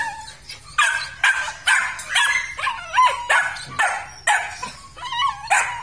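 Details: Purebred Belgian Malinois from a pair with fiery red coats, kept at a Vietnamese kennel. Loud, sharp barks come in an uneven burst, about eleven in six seconds, with yelping, pitch-bending edges on some barks.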